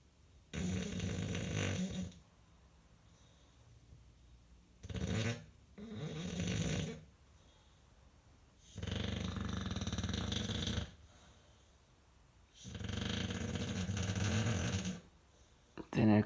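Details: Sleeping English Bulldog "Rambo", five years old, snores indoors: four long, harsh, rumbling snores of about two seconds each, separated by quiet pauses, with a shorter snort between.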